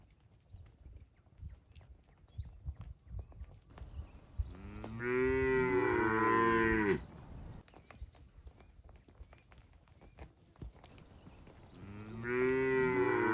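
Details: Herded cattle moving through forest to the shed, jumping happily; two long, loud moos about two seconds each, separated by several seconds of footsteps and rustling undergrowth.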